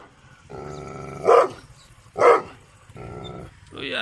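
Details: Gull Dong dog barking twice sharply, with low droning tonal sounds and a soft whine at the end.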